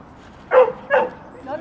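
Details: Dogs at a dog training school in March 2014, two short sharp barks about half a second apart, then a fainter whine-like sound.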